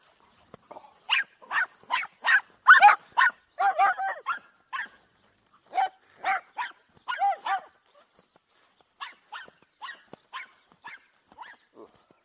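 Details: Farm dogs at play, filmed on an Insta 360 EVO after heavy rain left the grass uncut: a loud, quick run of barks, roughly two per second at first, then scattered sharp yips, with brief pauses between bursts.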